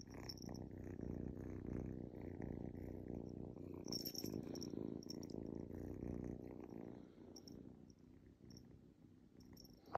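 A domestic cat purrs steadily, a low, rumbling vibration that pulses in a continuous rhythm.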